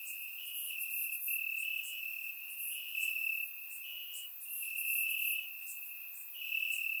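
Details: Grass crickets at night during a warm Bulgarian summer keep up a high, buzzy continuous trill, swelling in uneven bursts, joined by thin higher-pitched chirps from other insects in the chorus.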